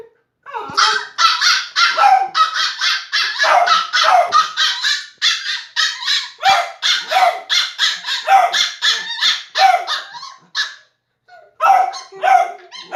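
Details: Puppies, a Shiba Inu and a Beagle, playing together with almost nonstop high-pitched yapping, dense overlapping barks and yips filling the stretch, ending after a short silence with a few more sharp barks.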